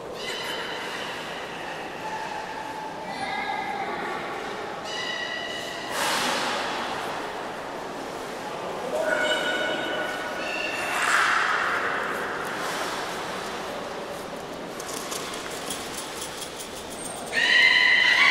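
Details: Captive belugas at Port of Nagoya Public Aquarium, Japan, 11 August 2018, during a pool transfer while staff tried to swap Nana and Hodoi. Harmonic squealing whistles come in separate bursts, some steady and some bending, over a hissy room background.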